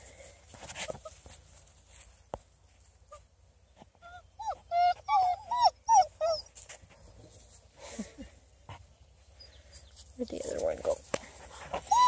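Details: Coonhound puppies, a redbone crossed with black-and-tan litter, playing in a car as their puppy fort; a burst of rapid, wavering high whines and yelps in the middle, then scattered squeaks over a low rumble.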